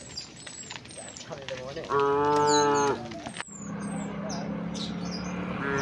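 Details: Village cows walking past homes and shady trees to the rice fields; one clear, level moo lasting about a second amid scattered high bird chirps, followed by a low droning hum.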